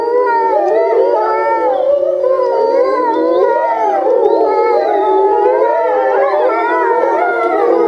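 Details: Grey wolves howling in unison at Tama Zoo, Japan, recorded November 2013; a thick chorus of tremulous, wavering howls, voices crossing and looping over each other without pause.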